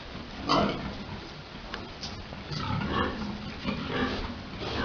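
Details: Domestic pigs during breeding, a large boar mounting a sow at a farm: a few short, harsh grunts burst out at irregular intervals over a low rumbling background, the loudest coming early.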